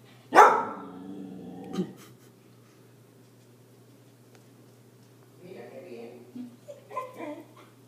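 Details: Arya, a Siberian Husky scared of a balloon, lets out one strong bark that trails into a drawn-out growly moan, followed by quieter murmuring vocal sounds a few seconds later.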